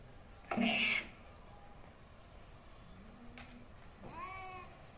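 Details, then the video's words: Fighting angry cats give a short, loud hissing screech, then after a pause a brief wavering growl-like yowl near the end. "Angry cat's Fighting|| ,cat's Fight sound effects"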